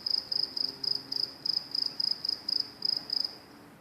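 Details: Crickets at train tracks give fast, high-pitched chirps in short pulsed bursts, roughly four per second, evenly spaced over a soft background hiss.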